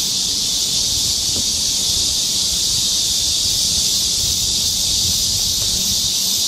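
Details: Cicadas along a forest trail near Seoul, Korea, in summer, make a continuous, dense, high-pitched buzzing drone that holds steady without pause or rhythm for the whole stretch; there are no other clear sounds beyond faint low rustling.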